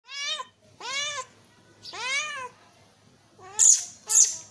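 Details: Kitten meowing, used to attract cats: four clear, arching meows with rich harmonics, each rising then falling, about half a second long, followed by two shorter, brighter, higher-pitched cries near the end.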